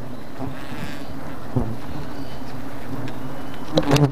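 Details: A mass of thousands of attacking bees gives a steady, deep, even drone with stacked humming tones. A few soft taps come early, and a burst of louder close buzzing and clicks arrives just before the end.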